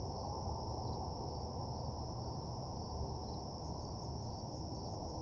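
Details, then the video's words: Short stretch of crickets chirping at night in a desolate parking lot, a constant thin high trill with a few faint higher blips, over strong low-pitched rumble. "Nighttime Parking Lot Ambience (Cricket Sounds)"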